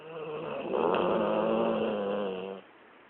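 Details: Sleeping dog Lexi, worn out after a long day of play, gives a single long rattling snore lasting over two seconds, growl-like and buzzing, then cuts off into near silence.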